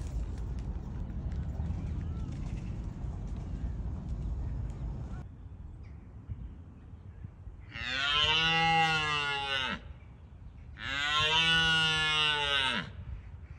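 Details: Red deer stags roaring in Bushy Park during the rutting season. The roars are a first line of defence to deter rival stags. Two long, deep, harmonic roars of about two seconds each swell and then fade, separated by a short pause, over low background rumble.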